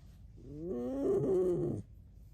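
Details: Tame pet red fox giving a single drawn-out squeaky whine, rising then holding and fading over about a second and a half, in otherwise quiet surroundings.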